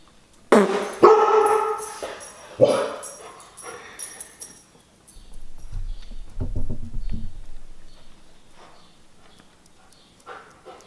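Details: A Siberian Husky, set off by a conch shell horn being blown, gives loud, abrupt woofing yelps in a howling, barking tantrum that fade quickly, followed by low rumbling sounds.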